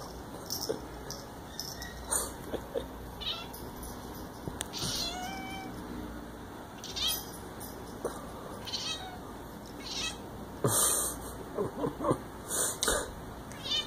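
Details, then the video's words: Dyson, a Bengal cat, chirping: short, soft, scattered chirps, a few closer together near the end, over a steady high electrical whine and faint room noise. "Dyson the Chirping Bengal Cat!!!"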